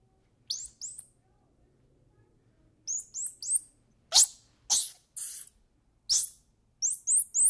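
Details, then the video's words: Squirrel monkey giving short, very high descending chirps in quick pairs and triplets, broken by a few harsh, broadband squawking bursts, with quiet pauses between bouts. "Squirrel Monkey Sound"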